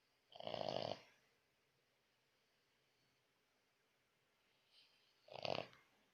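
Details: French Bulldog named Lakshmi snoring loudly while asleep at night; two harsh, nasal snorts, each under a second long, come about five seconds apart with quiet breathing between, in a still indoor room.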